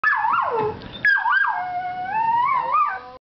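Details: Vizsla dog chirping: high, wavering whines that slide up and down in tone, in two long drawn-out phrases about three seconds in all. The first phrase falls, and the second holds a level note before rising and wobbling at the end.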